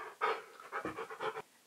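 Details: Indoors, the husky Keyush grumbles back at commands while working for biscuits: four quick, throaty, woo-like bursts in a row within a second and a half.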